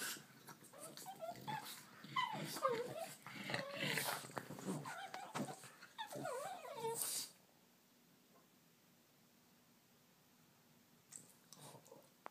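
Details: Two pet dogs, Hank and Jenny, a Bugg and a Boston terrier, bickering and playing: bursts of growly, whining vocalisations with wavering, bending tones over the first seven seconds, then near quiet with a brief rustle at the end.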